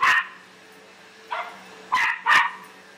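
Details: Bear, a pet Australian Silky Terrier, barking like mad at a vacuum cleaner: four sharp, harsh barks within three seconds, the first and last two loudest, over a steady low mechanical hum.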